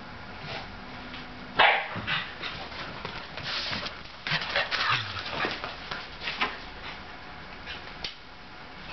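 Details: An older sable Shetland sheepdog, indoors, feeling crazy and wanting to play with a younger ginger tabby cat; one sharp bark near the start, then scuffling, panting-like rasps and softer whimpering yips through the rest.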